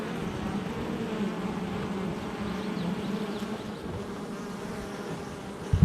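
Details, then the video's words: Honey bees at a hive entrance on July 22nd, 2024: a steady, dense buzzing hum of many bees, low and droning throughout, with a brief louder bump at the very end. "Honey Bee Hive Entrance Activity"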